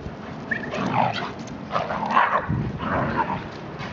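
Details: Achilles, a 12-month-old German Shepherd, plays with Hilo, a 14-month-old Shiba Inu. Three grumbling bark-like bursts sound about a second apart over low scuffling.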